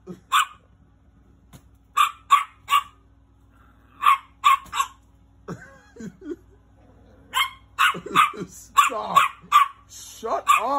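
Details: Little dog barking angrily in scattered groups of sharp high yaps, growing more frequent toward the end, while a man scolds it repeatedly between and over the barks.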